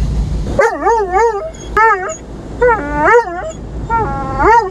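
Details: Dobermann on its first trip through an automatic car wash, startled by the noise and drier, barking loudly and crying: four bursts of wavering, rising-and-falling whine-like yelps with rich harmonics, over a low mechanical rumble.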